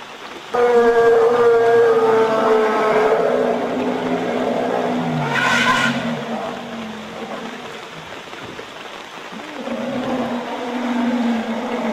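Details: A herd of Asian elephants (Elephas maximus), harassed by a tiger in Royal Belum State Park, Perak, Malaysia, gives loud tonal trumpets that fall slightly in pitch, then a harsh blaring burst.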